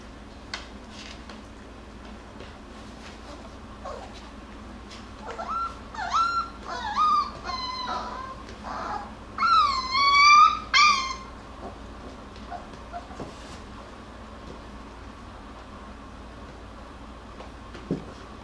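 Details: Jackabee (Beagle Jack Russell cross) puppies, Miss Sansa's litter, playing and wrestling indoors; a burst of high, harmonic whimpering cries and yelps in the middle, with quiet scuffling and soft clicks before and after.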